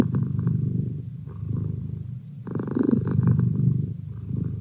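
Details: Merlin the house cat purrs close up, a low vibrating rumble in uneven swells, with one louder breath cycle in the middle and a short quiet dip before it.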